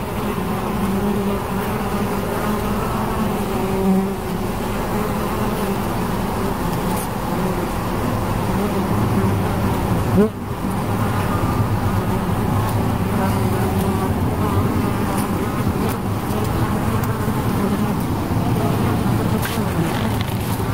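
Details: Continuous low droning of bees, a dense humming tone with layered overtones that stays steady for the whole stretch, with a faint rumble underneath and one short break partway through.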